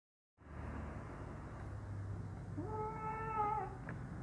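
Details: Hungry kitten at mealtime giving a single drawn-out meow that rises briefly and then holds a steady, clear pitch for about a second, heard over a continuous low rumbling hum indoors.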